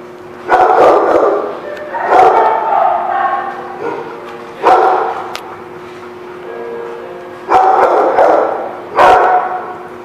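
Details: Dog barking: five loud, harsh, reverberant barks spread over ten seconds, each a short broad burst with a trailing echo, separated by quieter stretches of background hum.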